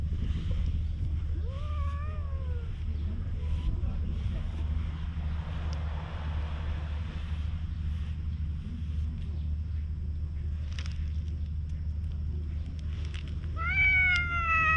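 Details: Wary stray cat met on a road leading to the sea, recorded on a GoPro HERO8: a few rising-then-falling harmonic meows near the start and a longer upswept meow at the end, over a steady low engine-like hum.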